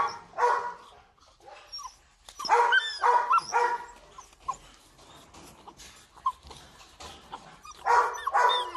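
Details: Rottweiler puppies with wrinkled faces, held at a kennel in Vietnam, giving short high yelps and whimpers in bursts about two per second, some rising and falling, with quieter stretches between.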